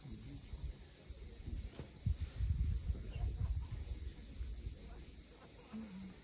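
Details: Cicadas sing at sunset above the sea at Cape Fiolent in Crimea, a continuous shrill buzzing sheet of sound. Surf surges loudly beneath it midway, and a short bird chirp comes near the end.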